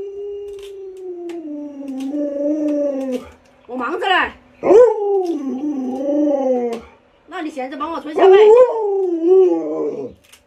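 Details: Pet Alaskan Malamute Luoluo howls repeatedly in a small room, a long even tone that rises and falls, then choppy yodelling bursts with sharp upward swoops, broken by short pauses, with a person talking.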